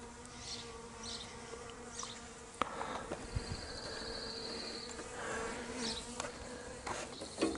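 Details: Honey bees that left their hive being coaxed back in by a beekeeper, 26 May 2023: a steady low droning hum with a faint overtone, and brief knocks and higher buzzes from single bees passing close.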